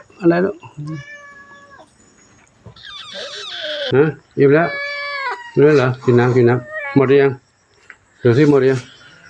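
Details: Lone kitten newly arrived at Wat Pong Chai in Chae Hom, Lampang, Thailand, giving repeated high, wavering, descending mews, some in quick succession, while a person talks and laughs nearby.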